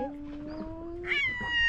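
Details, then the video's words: Two male cats that dislike each other, meowing and hissing at the seaside in Istanbul: a steady, drawn-out mid-pitched yowl that jumps higher near the end and holds a bright, sustained tone. "Two male cats meowing and hissing each other"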